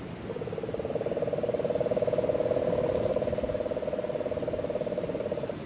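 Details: Calling during September 2007 rains in Puerto Rico's Guánica Dry Forest, a Puerto Rican crested toad gives a steady low purring trill lasting about five seconds. The trill swells and fades over a constant high-pitched insect drone.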